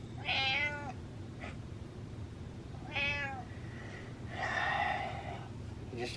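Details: Domestic cat meowing repeatedly in a room, seeking attention and leading its owner toward food: two clear harmonic meows, a short faint sound, then a longer, breathier drawn-out meow, with low background hum.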